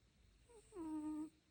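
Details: Dog snore: a faint high squeak, then a louder steady whistled tone with rich harmonics lasting roughly half a second.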